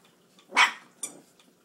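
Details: Puppies of Duchess and Dylan, four weeks old, busy eating. One sharp, harsh yip bursts out, followed a moment later by a fainter, shorter second yelp over quiet background.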